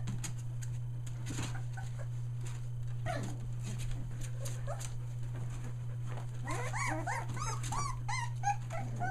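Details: A litter of Aussie puppies, one day short of three weeks old, stays mostly quiet with scattered soft noises, then breaks into a quick run of high squeaky whines and yips in the final seconds, with a continuous low hum throughout.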